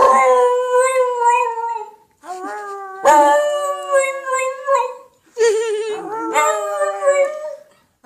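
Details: Funny noises from Piccolo the dog: sustained, slightly wavering howls with strong harmonics, three drawn-out phrases of about two seconds each, the last one trembling and dipping in pitch.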